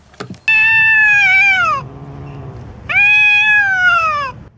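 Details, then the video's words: Two long, loud, drawn-out cat meows, each slowly falling in pitch at the end, separated by a quieter pause, preceded by a couple of brief clicks. "Cat Sounds | Sounds to attract cats"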